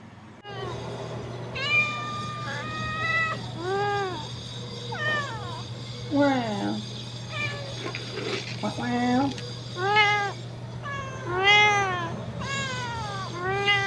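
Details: Domestic cats on orange cat Jay's second birthday, 19 March 2023: a run of about nine clear, arching meows, some rising then falling and some drawn out, spaced a second or two apart, over a steady low hum with some human voice.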